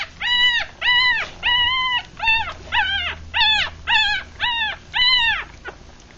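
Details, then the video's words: Litter of six three-day-old puppies from a Rat Terrier mother and Chihuahua father, eyes closed, while feeding; loud, clear, arched squealing cries, about two per second, each rich in overtones, with faint low background hum. "3 Day Old Puppies"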